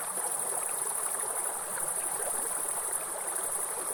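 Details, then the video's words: Short stretch of grasshoppers droning in an unbroken high tone in a forest, mixed with busy, bubbling water noise from a waterfall. "Real forest and grasshopper sound with soothing waterfall sound"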